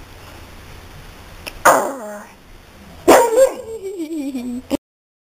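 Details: Pet dog barks twice, each a sharp loud outburst about 1.5 seconds apart, the second trailing into a wavering, falling whine before stopping abruptly in a quiet room.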